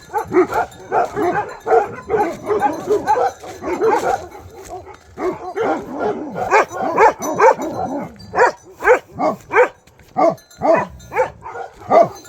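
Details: Bhote Kukur, a Nepali dog breed, in Nepal, barking in a dense run of short, punchy barks for the whole stretch, with several dogs seeming to overlap early on, then sharper, more spaced barks toward the end.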